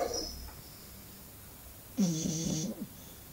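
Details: Snoring English bulldog, with a brief soft snort at the start, a pause of quiet breathing, then one strong, vibrating, harmonic snore of under a second.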